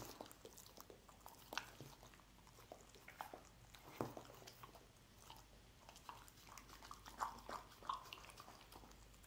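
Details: Scrambled egg being eaten by a dog: steady, quiet mouth clicks and chewing smacks throughout, with occasional louder bites and brief pauses between bursts.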